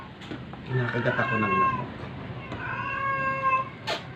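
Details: Weak stray cat during force-feeding, one long, steady, drawn-out meow following a stretch of human talk, ending with a sharp click.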